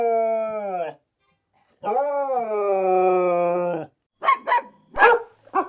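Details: Two long, steady, tonal dog howls, the second held for about two seconds with a slight rise and fall, followed by a few short, sharp barks.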